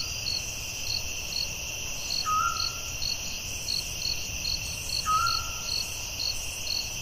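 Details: Crickets calling at night in a forest, a constant high shrill drone with steady pulsed chirps, interrupted twice by a short, clear, lower whistled note.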